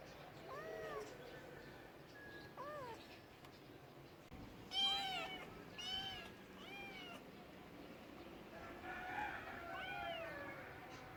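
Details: Domestic cats meowing in a funny compilation: several short, rising-then-falling meows spread across the recording, some paired, with a louder cluster of overlapping meows in the middle and quieter background noise.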